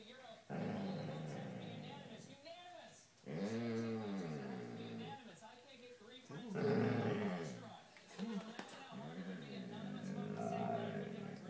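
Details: Male Basset Hound growling indoors at night, refusing to leave a person's bed for his own; low, drawn-out rumbling growls lasting a couple of seconds beneath a man repeatedly urging him to get up, with a loud television in the background.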